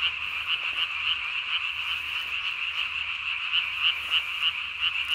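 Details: Night-calling Japanese tree frog, recorded 3 May 2020, inflating its throat sac as big as its body; quick repeated sharp high croaks, roughly three per second, rising from a droning frog chorus.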